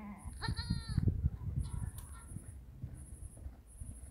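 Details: Ajmeri goat that has just given birth, bleating: a short harmonic wavering bleat near the start, then low rumbling handling noise and a faint high whine throughout.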